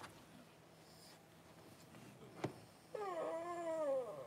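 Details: Newborn Cavalier King Charles Spaniel puppy during mother Paris's whelping of her first litter, January 1. After a click and quiet room noise, one drawn-out, wavering whine rises and then sags for over a second.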